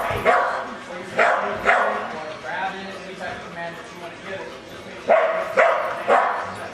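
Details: During a training demonstration at an RV show in Phoenix, Arizona, a dog lets out loud, clustered barks separated by short pauses, mixed with steady human speech and crowd murmur.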